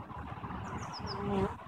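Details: Hive bees on 21 April 2015, a day after eggs for three queens were set in. Dense, low humming buzz that holds steady, with a run of four quick, falling bird chirps above it.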